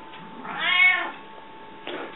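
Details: Hungry cat named Rika meowing in a room: a soft rise into one long arched meow of about half a second, quiet afterwards, then the onset of another faint sound.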